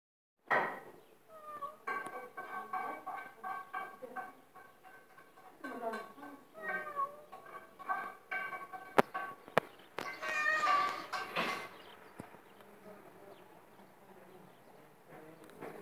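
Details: Domestic cat meowing indoors: short, harmonic meows with bending pitch, some rising then falling, repeated through the clip among human voices, a few sharp clicks and knocks, and faint background music.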